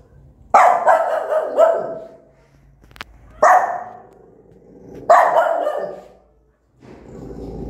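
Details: Angry mother dog barks loudly at her newborn puppies: a fast burst of three clipped barks, then two single harsh barks about two seconds apart, with a faint click between them.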